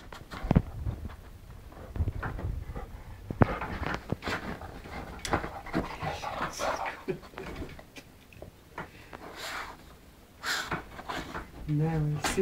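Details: Lolly, a female English Springer Spaniel, pants indoors while hunting for her ball. Breathy, noisy bursts come in quick uneven succession with sniffing and shuffling. Faint human voices murmur in the background, and brief speech returns near the end.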